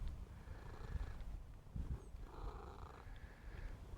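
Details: A domestic cat staying close to its owner in a November garden purrs loudly, a low continuous rumble with soft breathy pulses; a man's voice and faint outdoor background are also heard.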